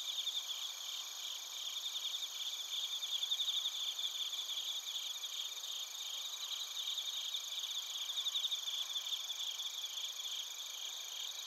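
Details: Japanese bell crickets and crickets chirping in Narita, Chiba, Japan; a sustained, bright, multi-layered insect chorus of thin whining tones and repeated fast trills, steady throughout, recorded on a TASCAM Portacapture X8.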